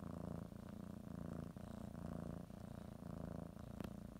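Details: Female domestic cat kneading her blanket ahead of a morning nap, purring steadily; a low buzzing rumble pulsing with her breathing, plus a faint sharp click near the end.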